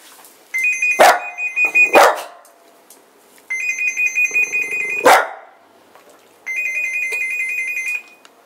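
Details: Cavalier King Charles Spaniel reacting to the door phone indoors: sharp, bright barks near one, two and five seconds, answering three bursts of a steady, high electronic ringing tone from the door phone.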